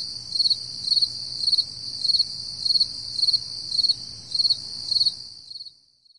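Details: Crickets on an early summer morning at 4 AM in July 2012: regular, pulsed chirps repeating roughly every 0.6 seconds, nine in about five seconds, over a steady high-pitched chorus of other insects, fading out near the end.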